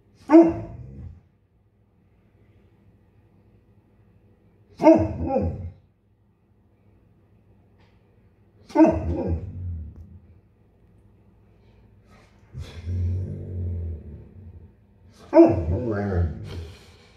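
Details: Impatient male Bernese Mountain Dog voicing his disappointment one morning as breakfast is slow to arrive: five deep woofs spaced several seconds apart, one stretched into a grumbling, moaning growl, quiet between calls.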